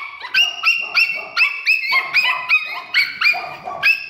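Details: Dog at a pet shop giving high, rising whining yelps in quick overlapping series, about eight or nine calls over four seconds, more than one voice seeming to overlap, with no other clear sounds.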